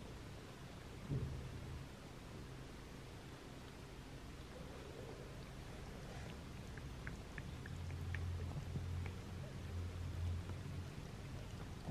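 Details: Steady rain with low rumbling and a few faint ticks fills the recording, without any clear animal sound.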